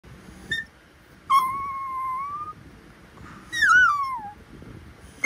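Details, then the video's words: Talkative Pomapoo puppy, a Pomeranian and poodle mix, vocalising indoors: two long, high, whistled whines, the first wavering level, the second sliding downward, with faint short squeaks between. "Ano kaya sinasabi ng baby dog ko- ang daldal eh"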